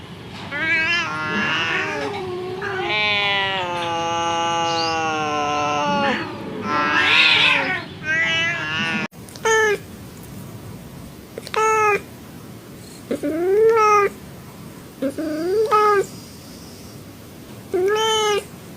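An angry domestic cat gives a long wavering yowl, then a string of short, rising meows.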